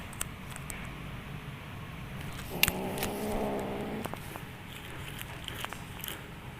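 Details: Playing kitten giving an odd, steady harmonic call of about one and a half seconds, with clicks, rustles and faint background noise around it.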